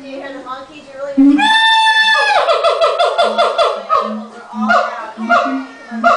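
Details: Siamangs at a Los Angeles zoo before lunch time, the male taking center stage: a long, loud, rising scream followed by rapid pulsed barking notes and repeated short hoots, with several animals overlapping.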